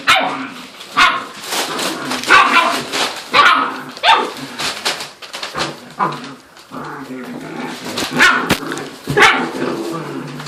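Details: Nine seven-week-old puppies, weighing 12 to 14 lbs, playing with each other indoors: a dense jumble of overlapping yips, squeals, whines and growly barks with no pause, and occasional knocks and thumps.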